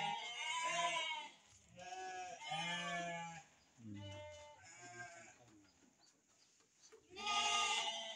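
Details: Bleating from sheep kept for breeding, adults with young. Loud quavering calls come in bursts about every second through the first half, ending in a fading stretch. A final chorus of bleats rises at the end, with a man talking faintly underneath.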